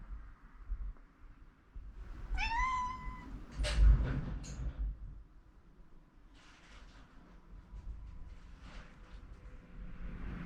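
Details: Nanako, a rescued cat taken in as a kitten near home, worriedly and desperately trying to wake her owner who overslept: one clear rising, harmonic-rich meow lasting about a second, followed by knocking thumps and soft rustling indoors.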